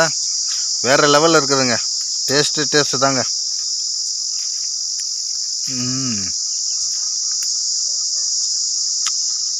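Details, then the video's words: Cicada calling from a Manila tamarind (kodukkapuli) tree, its sound described as sweet: an unbroken, high, steady buzzing drone throughout, with a man talking during the first three seconds and again briefly near the sixth second. "Sillu vandu satham kodikka Puli marathil kettu"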